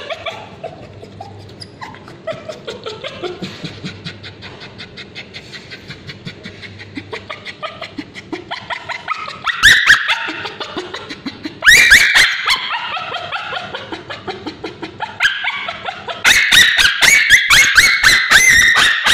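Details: Male Bichon Frise with scabies, screaming while a babysitter applies ointment to his tail; early part holds low whimpers under laughter and music, then loud bursts of high, harsh, rapidly repeated yelping cries.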